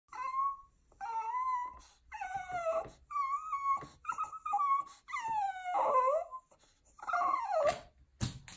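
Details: French Bulldog; begging whines; begging for food when hungry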